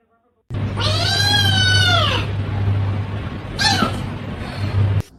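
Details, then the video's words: Kitten meowing: one long, drawn-out meow that rises and falls, then a short second meow after a pause, over a steady low hum with music in the background. "kitten meowing call"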